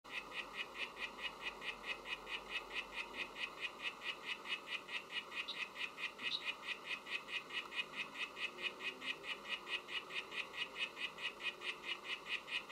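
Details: Oophaga sylvatica frog song: a long steady series of short buzzy chirps repeated about one and a half times per second, each note centred high with bright harmonics, over quiet background hiss.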